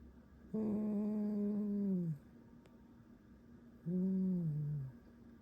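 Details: Fox kept indoors giving a creaky squeak: two drawn-out, low, nasal tones, the first about one and a half seconds and the second about one second, each sagging slightly in pitch at the end, with a quiet room between.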